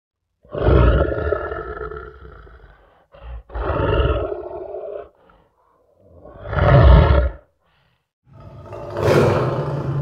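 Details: Lion roaring in long, deep, booming bursts, four heavy roars in ten seconds, each swelling then fading, with a low rumbling undertone.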